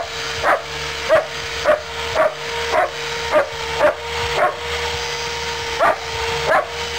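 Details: German Shepherd during rough play, barking steadily in short sharp bursts about twice a second, over a constant droning hum and a low rumbling background.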